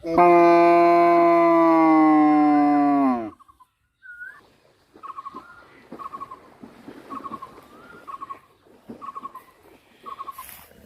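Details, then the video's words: Two black cows running around a green field, mooing because they want to go home and calling the farmer: one long, loud, deep moo of about three seconds that drops at the end, followed by small bird chirps repeated about once a second. "Cow Sound, Two Cows Running Around And Making Noise | Two Black Cow In Green Field They Call Farmer"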